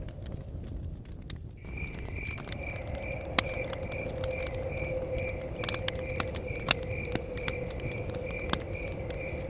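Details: Crickets chirping near a cabin in the forest: a high, pulsed trill of even chirps repeats steadily from the second second on. A low steady hum of blowing wind and sharp, sparse crackles of a fire run beneath it.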